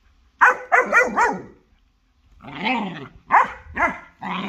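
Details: During a fight between a German Shorthaired Pointer and a Jagdterrier, a quick volley of four yapping barks is followed by a pause, then a drawn-out snarl and further harsh barks.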